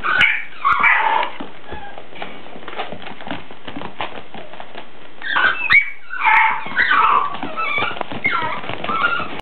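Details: Bull Terrier dog in Tokyo making repeated high whimpers and yips in irregular bursts, loudest at the start and again after a short pause midway, with wavering tonal whines between clicks and rustling.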